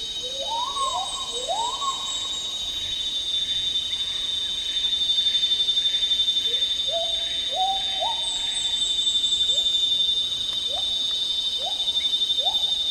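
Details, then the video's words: Agile gibbon, also called black-handed gibbon, an endangered species, calling in tropical rainforest in Malaysia: a series of rising whooping notes around 500–1000, climbing in steps and repeating, over a loud steady drone of insects. "Agile Gibbon Song & Calls"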